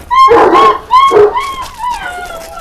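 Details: Anatolian Shepherd Dog, a 12-month-old female; a series of high, tonal yelping whines, several drawn-out rising-falling cries in quick succession, fading toward the end.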